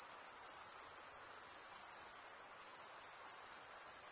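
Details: Chirping crickets, mostly males, scraping their wings together. The sound is a dense, constant high trill with a slight rhythmic shimmer. It stays at an even level throughout, with no other sounds beyond a low hiss.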